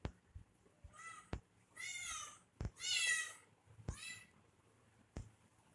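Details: Baby kitten playing with a person indoors gives three high, harmonic meows, the middle one longest and loudest, set between sharp clicks and taps in a small quiet room.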